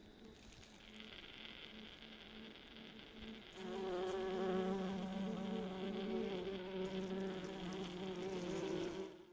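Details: Buff-tailed bumblebee colony going about its usual business around the nest after a relocation. A soft, low droning buzz thickens abruptly into a loud, sustained hum with rich, wavering harmonics from a few bees at once.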